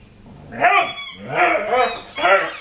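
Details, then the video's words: Puppy named Tessa, described as crazy, giving three bursts of rough, breathy yelping vocalizations with a rising-falling pitch, each about half a second long, indoors. "Tessa The Crazy Puppy"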